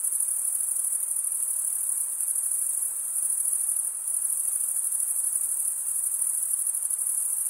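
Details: Crickets chirping, with the males stridulating by rubbing one wing's toothed vein against the other. A steady, very high-pitched trill with fine rapid pulsing holds unbroken throughout. No other sounds are heard.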